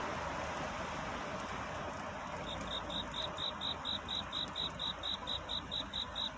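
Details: Crickets singing at night, a song of courtship in search of a mate; from midway a regular run of short, high, pure chirps, about four per second, over a steady broad rushing background noise.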